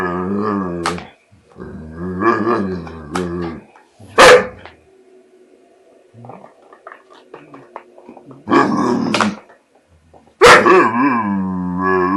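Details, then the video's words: American Bulldog indoors, scared of a border collie while trying to take back his bottle, makes funny sounds: harmonic whining groans and growls in bursts, with sharp bark-like clicks between them. "AMERICAN BULLDOG SCARED OF BORDER COLLIE (MAKES FUNNY SOUNDS AND ACTS THE FOOL)"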